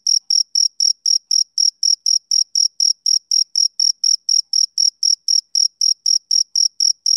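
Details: Male cricket calling on a summer evening, high, ringing chirps in a regular series, each short pulse spaced evenly about a quarter-second apart, nothing else audible.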